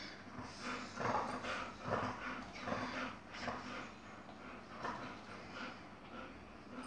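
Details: Yogi the Chihuahua tussling with an Airedale, giving a steady run of low grumbling growls and whimpery snorts, repeated roughly every second.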